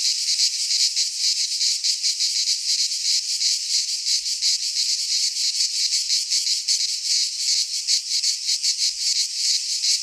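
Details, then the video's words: Many cicadas sing in a Greek pine forest during midsummer, producing a bright, hissing buzz that throbs about two or three times per second, with a faint click near the end. "Cicadas singing in midsummer - Nature sounds from the Greek fauna - Sounds of cicadas"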